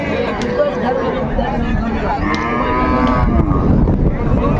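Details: At Raniganj livestock market in Dinajpur, 29 May 2025, amid cows sold with their calves, a cow lows with a long, arching tonal moo rising then falling, over constant crowd talk and noise.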